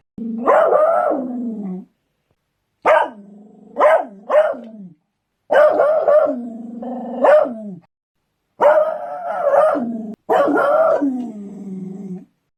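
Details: Beagle. A Beagle barks in long, baying bursts, each note bright at first and then sliding down into a lower, mournful tail. Some bursts break into two or three quick yelps before the next drawn-out bay.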